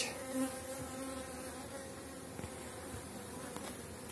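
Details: Strong honey bee colonies at the BeeRoyal apiary as the season draws to a close: continuous low droning buzz of many bees, steady throughout, with a few faint soft knocks.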